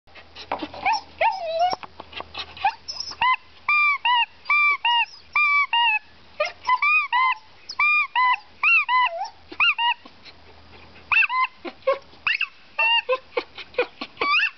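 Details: Dog 'singing' in a rapid run of short, arched, yodel-like yelps, over forty notes in about fifteen seconds, bunched into bursts with brief pauses and a few lower wavering notes.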